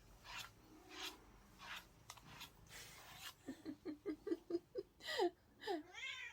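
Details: Pet cat whose meow sounds like saying "안해" ("no"): a rapid run of about eight short, chirpy mews over three seconds, then longer bending, wavering meows, with people talking and laughing earlier in the room.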